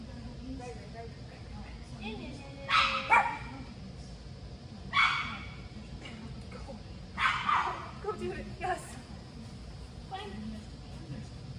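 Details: Bella the Chihuahua at an agility training session, her first time in this facility's ring, lets out separate bursts of sharp barking spaced a few seconds apart, with faint voices in the background.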